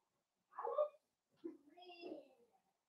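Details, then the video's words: Five Blenheim Cavalier King Charles Spaniel puppies born at New Year playing with their mother Paris indoors; a short rough whimper, a pause, then a drawn-out wavering whine-growl that rises and falls before fading. "Cavalier Puppies Play with Mama"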